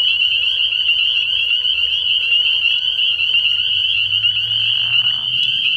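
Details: Spring peepers massed at a frog pond at night early in the year, a continuous high ringing chorus of overlapping peeps; a short rougher burst rises near the end over a low background hum.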